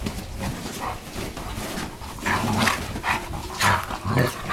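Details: Playing dogs making funny noises: low grumbling growls and short huffs come in uneven bursts about twice a second, growing louder toward the end, over a background of scuffling.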